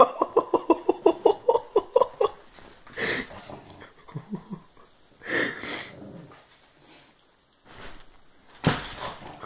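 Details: Kassie, a pet pug indoors, barks and growls at an empty floor while the family watches TV: a rapid run of about a dozen short, throaty, harmonic growl-barks in two seconds, then scattered breathy huffs and rustling.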